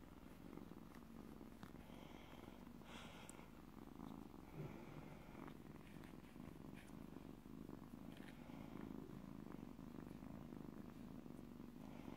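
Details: Stray kitten, recently trapped, purring loudly: continuous deep vibrating rumble with rhythmic pulses, nearly constant in level throughout, a few soft rustles and clicks over it.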